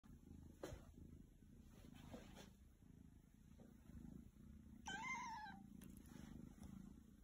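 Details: Three kittens snuggling together in a bowl: a soft, steady low purr runs throughout, and a short, bright meow with a rise and fall breaks in near the end.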